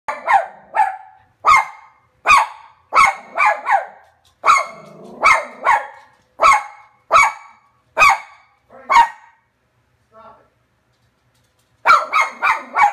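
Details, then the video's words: Frankie, a cairn terrier, barking at a paused TV screen: a rapid series of sharp, high barks, some doubled, a brief pause near ten seconds, then a fresh burst of quick barks. "Frankie Barking at TV 2017"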